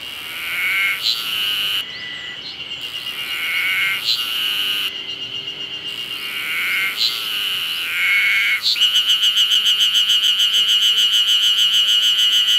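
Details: Terpnosia nigricosta cicada in summer: a shrill, ringing song of repeated swelling phrases with brief pauses, then a steady, fast, pulsing buzzy trill.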